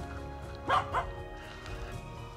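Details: A Finnish Spitz hunting birds south of Stalon near Lake Malgomaj gives two sharp, mid-pitched barks about a third of a second apart, under low cloud, over a low steady hum, amid several cockerels found within minutes.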